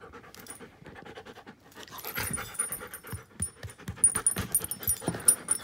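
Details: Klara, a giant schnauzer aged one year and five months, panting in quick rhythmic breathy bursts that grow louder after the first two seconds, with faint high tones and light rustling in the background.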